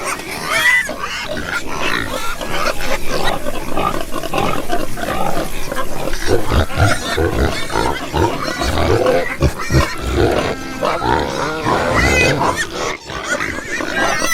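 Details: Low, continuous grunting from a crowd of pigs, with dense overlapping snorts and occasional short higher squeaks throughout.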